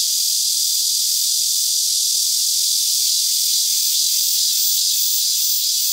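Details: A min-min cicada (Hyalessa maculaticollis) moving and singing at Bongseon Reservoir, Seocheon, Korea, late morning of 13 August 2023: a loud, dense, high-pitched buzzing drone, slightly pulsing, unbroken for several seconds.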